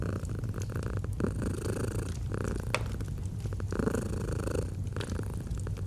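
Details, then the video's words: Soothing purr of a domestic cat with a fireplace in autumn ambience; a low rumbling drone pulses with each breath while occasional crisp pops and crackles of burning logs sound over it. "Purring of a Cat"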